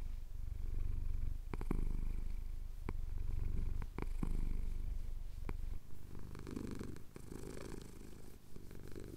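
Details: Male cat purring under a chin scratch at dawn in the Cotswold hills, Tascam DR-07X; deep pulsing rumble that softens and thins in the last few seconds, with quick crisp scratching ticks.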